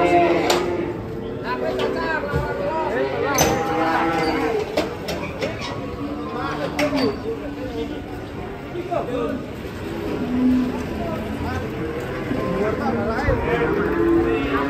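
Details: Large black Grandong cattle raging while being unloaded from a truck: repeated deep, drawn-out moos with harmonic stacks, some rising and falling, mixed with human voices and bangs of handling in the background.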